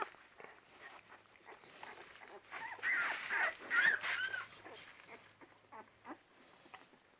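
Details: Ten-day-old Labrador Retriever puppies squealing and whining, a burst of high curved cries in the middle, louder than the rest, over soft shuffling and scratching noises.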